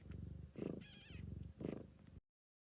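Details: Blue bicolour Ragdoll mother cat purring while giving birth to her litter of kittens in Australia, cleaning the first newborn; steady low rumbling purr in rhythmic breaths, with a brief thin high mew from a kitten in the middle.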